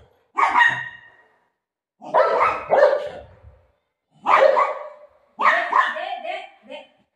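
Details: Golden retriever playing with its owner after running off with her dupatta: four loud, harmonic barks in separate bursts about 1.5 seconds apart, the last burst breaking into a quick series of short yips.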